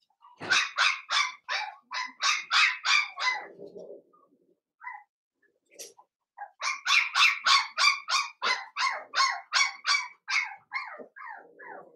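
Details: Seven-week-old Blenheim Cavalier King Charles Spaniel puppies, five littermates in an indoor pen. Two bursts of rapid, high-pitched yapping, about three barks a second, split by a short near-silent gap with a soft low whine.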